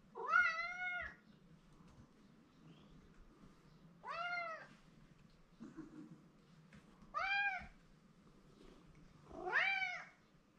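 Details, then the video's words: Mike the domestic cat, attached to his owner, crying repeatedly indoors: four loud meows spaced roughly every three seconds, each swelling upward then dropping, harmonically rich, with quiet room hum between calls. "マイクなぜ鳴くの？ He likes me so much, but Too noisy."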